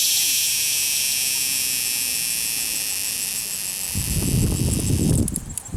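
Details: Cicada caught at Longwood Gardens, Pennsylvania, producing a continuous loud, fuzzy, high-pitched buzz that ends in rustling handling noise.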